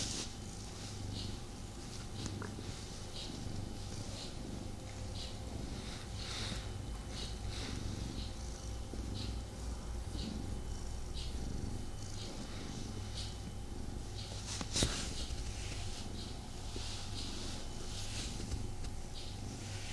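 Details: Domestic male cat purring indoors while snuggling with its owner, restless and not fully settled; steady low rumbling purr throughout with soft rustling and faint fabric noises above it.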